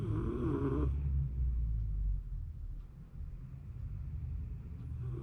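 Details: Sleeping Shiba Inu recorded in January 2024, a raspy snore opening into a continuous deep low rumble that dips and swells again.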